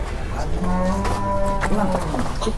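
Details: Restless, agitated cattle in Indonesia, described as still 'possessed' and raging: one sustained level moo lasting about a second, followed by a brief second low call, with background noise throughout.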